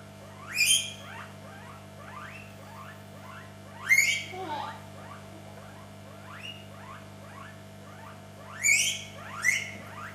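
A guinea pig gives shrill, rising whistled wheeks between softer chirping squeaks.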